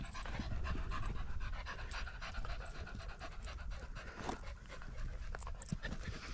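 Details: Quick, hoarse panting from a Border Terrier out with a pack of six small dogs, three of them Border Terriers, on a sunny 16°C walk on 13 September 2022. Breaths come nearly four per second, softly, under a steady low background rumble.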